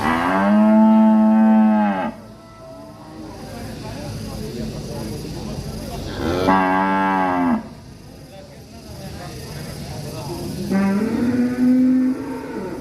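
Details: Angry village cattle in Indonesia, described as ngamuk, give three long, loud, rich harmonic moos of about two seconds each, with quieter distant lowing in the gaps between them.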